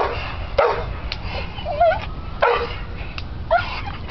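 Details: American Bull Terrier playing on a spring pole: a few scattered whining yelps with wavering squeaky tones, spaced about a second apart over steady low background rumble.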